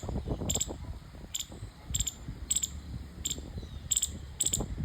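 A squirrel gives sharp, high chirps, repeated roughly every half to one second over a low background rumble.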